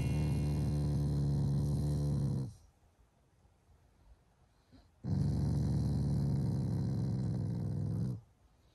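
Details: Affectionate morning growling from a Shiba Inu that is not angry at all; two long, deep, rapidly pulsing rumbles of roughly two and three seconds, split by a quiet pause.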